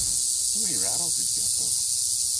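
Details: Rattlesnake sounding its namesake rattle, a universal warning noise of the Western Hemisphere: a steady, high, hissing buzz running unbroken throughout, with a man's voice speaking over it.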